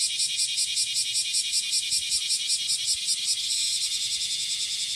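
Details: Courtship song of a cicada on the morning of 30 July 2017 at Passage de la Duee, a high rasping drone throbbing in regular pulses roughly 150 per minute, steady and unbroken for the whole stretch.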